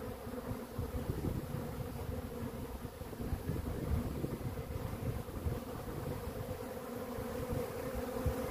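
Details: Honey bees humming steadily, a low droning buzz with a rough rumble underneath, holding even in pitch and volume throughout with no other distinct sounds.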